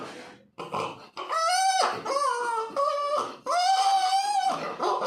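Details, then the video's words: A puppy cries in long, steady, harmonic wails, mostly level in pitch with a slight rise, separated by short breaths, after a quiet, rough start. "कुत्ते के बच्चे की आवाज (पिल्ला)"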